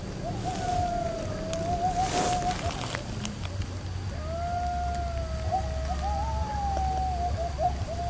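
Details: Coyotes recorded while camping in eastern Oklahoma, 2021–2022, give long, wavering howls that slide up and down, with a low rumble in the background.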